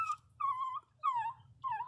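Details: Pinscher Magaly, a small pet dog, licking her nose: three drawn-out, high whimpering whines, each about half a second, bent slightly downward with bright overtones, separated by short pauses over a low indoor hum.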